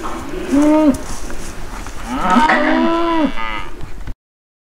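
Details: Charolais cattle at a 2020 sale offering lot 56, two drawn-out harmonic moos, the first short and the second longer and rising then falling, over steady barn noise before an abrupt cutoff.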